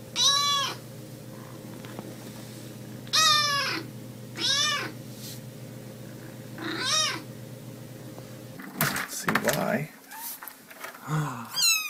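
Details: Kittens in a comic cat compilation make short, high, rising-and-falling meows several times over a buzzing hum, followed by clattering, rustling noises and a voice.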